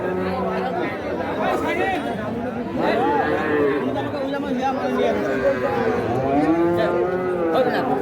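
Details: Calves and cattle at Ambari market, Dinajpur district, Bangladesh, recorded 29 December 2023: rising and falling lowing calls from several animals, partly buried under busy market chatter and voices.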